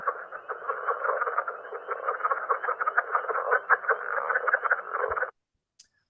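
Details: Southern leopard frog, which occurs through most of North Carolina except the mountains and can be mistaken for the pickerel frog, giving a rapid, chuckling croak, like rubbing the side of a blown-up balloon.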